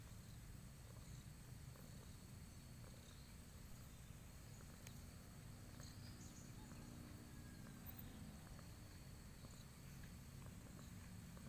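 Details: Low, steady rumbling purr from a pampered domestic cat, an unbroken pulsing drone from start to finish, with a few faint high ticks behind it.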